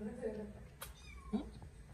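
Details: Kittens in the morning, with short soft meows near the start and a brighter rising mew after the middle, over low room hum and a brief sharp click.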